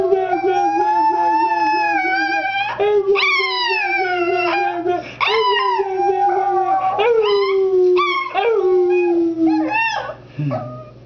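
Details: A Chihuahua howling on demand while its owner leads it. It opens with a wavering, pulsing howl, then gives several falling tonal wails that slide steadily downward. Each wail is clear and harmonic and ends in a low, trailing note.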